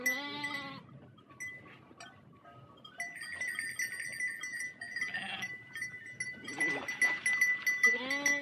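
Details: Large sheep herd crossing water, a strong quavering bleat at the start and another at the end, with bells ringing and splashing between them and fainter bleats in the middle.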